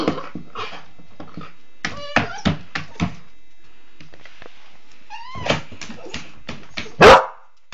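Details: Hungry female Border Collie puppy trying to get at the dog food by herself, indoors: short sharp yips and a few rising whiny barks among clattering knocks, ending in one loud, harsh bang.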